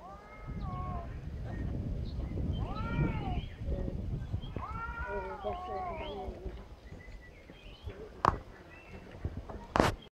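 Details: Angry cats fighting, mewing at each other: several wavering, arching meows and yowls overlapping through the first seven seconds, rising and falling in pitch, with low background rumble and a couple of sharp clicks near the end.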